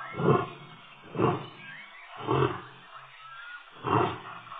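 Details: Male lion at Tembe Elephant Park, 26 October 2013, giving deep grunting roars, four loud pulses about one second apart, each swelling and fading, with a faint high whistle-like tone between them.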